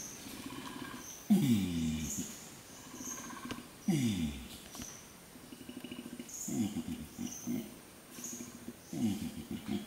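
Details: Flanged adult male orangutan long calling in peat swamp forest, Tuanan, Central Kalimantan, to repel rival males and attract females: repeated low, downward-sliding groans about every two and a half seconds amid rapid pulsing bubbles and forest insects.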